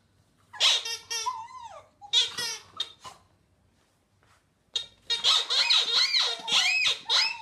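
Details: Hamish, a Border Terrier, singing: bursts of high squeaky yelps and wavering whines with rising and falling glides, a quiet pause of about a second and a half, then a longer run of warbling, yodelling yips.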